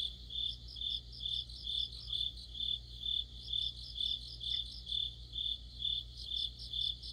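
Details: Crickets and companion insects in a deepening autumn night chorus by a streetlamp; high continuous chirps pulse steadily about twice a second, over a low mechanical drone.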